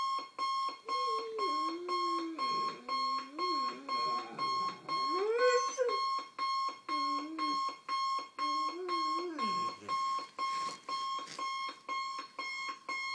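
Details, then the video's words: A German Shorthaired Pointer, a male about 2 years old, howls in wavering, rising and falling tones over a loud beeping morning alarm clock he hates, howling until it turns off. "German Shorthaired Pointer Dog Hates Alarm Clock"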